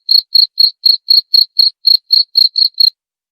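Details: Cricket sound used as a rat repellent: steady rhythm of brief, high, trilled chirps at roughly four per second, stopping abruptly near the end, background otherwise silent.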